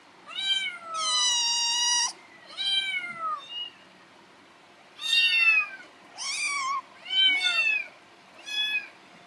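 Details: Rescued kitten named Happy, taken in during summer 2018, meowing at its keeper in the morning because it is hungry; a run of about eight loud, harmonic meows, several long and falling in pitch, with short pauses between, in a quiet room.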